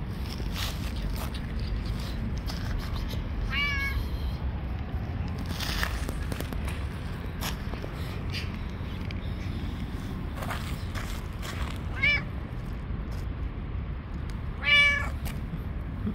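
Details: Hungry stray cats on the street meowing constantly: three distinct meows, the last loud and stacked with overtones, separated by quiet gaps filled with soft rustling and low background noise.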